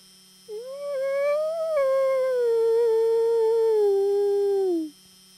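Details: Friendly wolf answering a human's howls with one long, clear howl that rises briefly, holds a level tone for several seconds, then slides downward and stops, with a faint steady hum behind.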